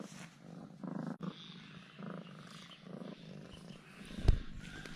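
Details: A once-aloof pet cat purrs after eating two ham sausages, acting coy and affectionate; low pulsing purr bursts come in a few cycles, broken by a click and a sharp thump near the end.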